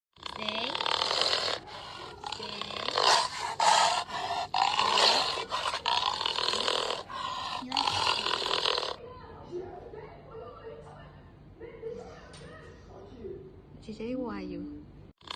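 A dog gives harsh, rasping roars in rough bursts, oddly like a big cat, then quieter whines.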